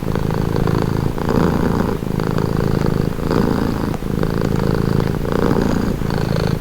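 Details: Relaxed cat purring in a clear in-and-out rhythm, each rumbling phase lasting about a second and a half before a brief dip, repeating throughout.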